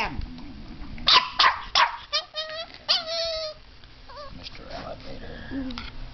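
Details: Puppy barking at a fake alligator head that holds its teddy bear: a few sharp yapping barks and some high, wavering whines, mixed with a person talking throughout.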